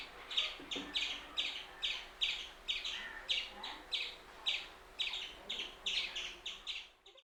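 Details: An Indian palm squirrel (Funambulus palmarum) calls with sharp, high chirps in a steady, rapid series of about three a second.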